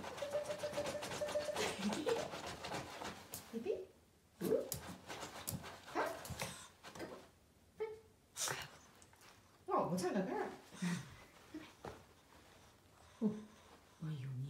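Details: Shih Tzu indoors, coaxed to sing and asked whether it wants food such as chicken drumstick; short nasal whining yelps and moans come in bursts between a woman's Chinese speech, some notes rising and wavering.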